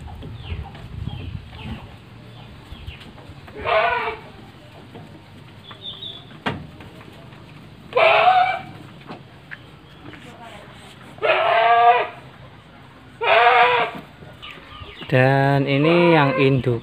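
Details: Etawa goats in a pen at a farm in Ngrambingan village, Panggul, Trenggalek, where three large pregnant does and one young buck are kept. Five loud, harmonic bleats come every two to four seconds, and the last is the longest, amid low background noise.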